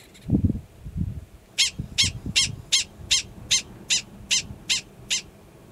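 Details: Repeated high, sharp yips, about eleven in under four seconds, from a yearling male Gunnison's prairie dog sounding the alarm in New Mexico's Valles Caldera National Preserve grassland, April 2017, after a few low thumps of handling noise at the start.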